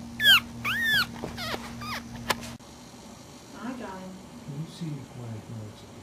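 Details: One-week-old puppies sleeping and nursing give high, squeaky whines that sweep up and down in the first second, followed by a few softer squeaks, then a person talking quietly nearby.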